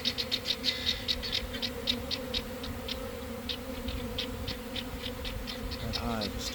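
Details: Swarming honey bees leaving a garden hive in the early afternoon following cold, damp days, with a continuous low hum and rapid high ticks overhead; a short human voice near the end.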